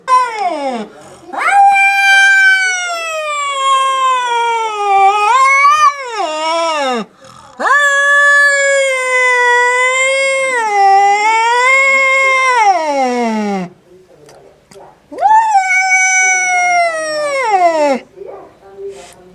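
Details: Domestic cat making a strange sound: three long, drawn-out, wailing yowls, each several seconds long, with a rich harmonic tone that wavers, swells and sags in pitch before trailing downward, separated by brief pauses.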